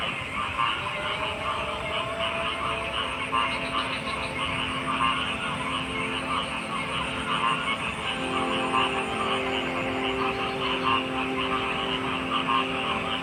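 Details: Frogs croaking in a dense chorus, with pulsed bursts repeating irregularly over a steady high insect-like hiss and a low continuous hum throughout.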